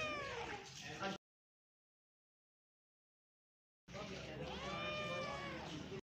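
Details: Pet cat giving a short meow, then after a silent gap a longer wavering meow, with a steady background hiss throughout.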